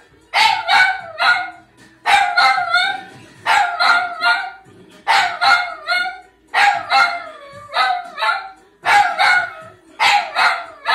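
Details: Dog vocalising in front of a television in clustered bursts of two or three quick yelping, wavering notes, with groups spaced about every one and a half seconds.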